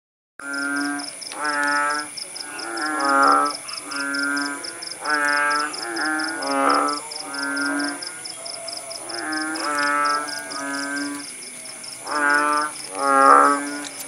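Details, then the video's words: Frog chorus after rain near Paya Bujok Tunong in Langsa, Aceh, countryside: several kodok bangkong overlap with long, nasal, bleating notes that rise and fall irregularly, forming a steady layered drone. "Suara kodok bangkong di pedesaan"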